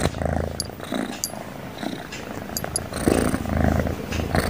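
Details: Sleeping cat snoring softly, a low rattling purr-like rumble that swells and fades with each breath, with faint higher hissy breath sounds between cycles.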